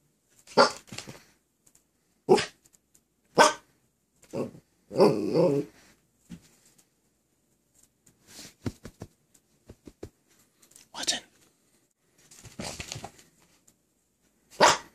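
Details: Watson, a Miniature Australian Shepherd puppy after surgery, wearing a cone, asking indoors for help and permission to jump onto the bed: short sharp barks, a longer rough growly bark, then quieter scattered yips and rustling.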